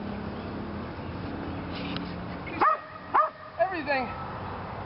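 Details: Lily, a female Belgian Malinois in PSA bite training on leg sleeves for the second time, lets out three sharp, loud barks about half a second apart. They follow a stretch of a man talking and background rumble.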